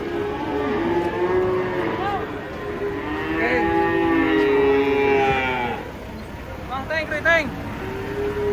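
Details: A huge cow being unloaded from a truck lets out a drawn-out, even, low bellow of about three seconds with rich overtones. A shorter moo follows, over a background of voices and engine rumble.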